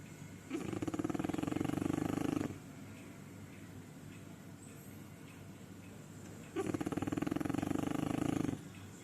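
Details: One of two sleeping French Bulldogs snores in two long, rattling, fluttery breaths separated by a quiet pause.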